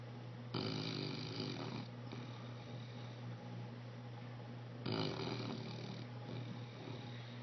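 An English Bulldog snores in loud, rattling breaths with a steady low drone underneath.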